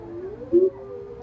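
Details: Wolves of a pack of five, joined by an Alaskan Malamute, howl together; a steady sustained tone is briefly overlaid by a louder, lower wavering note in the middle before the drawn-out howl continues.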